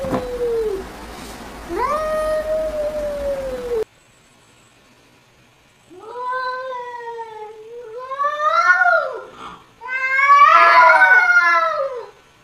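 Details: Domestic cats calling back to funny sounds played to them; long drawn-out meows with a rising-then-falling tone, two separate cries first, then a string of louder, harsher wavering yowls building toward the end.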